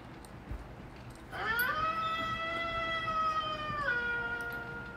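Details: Pet Golden Retriever, female, howling: a single drawn-out musical howl begins after a second of near silence, holds level for about two and a half seconds, then steps slightly lower and carries on.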